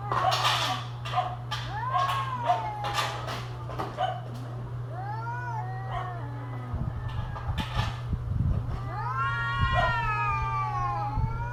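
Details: Mating-season cats: a burst of sharp, noisy spits and short arched cries, then a pause. Wavering, rising-and-falling yowls follow, ending in a long bent wail. A low constant hum runs throughout.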